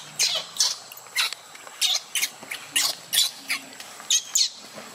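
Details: Luno, a baby monkey left by his mother in the water, screams in harsh, rasping bursts, about a dozen in five seconds. Each cry is shrill and noisy, with faint murmuring underneath.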